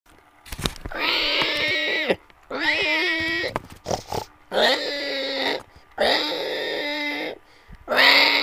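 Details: Pig squealing: five drawn-out, harmonic squeals of one to one and a half seconds each, rising then holding steady, separated by short pauses and a few brief clicks, with no other sounds.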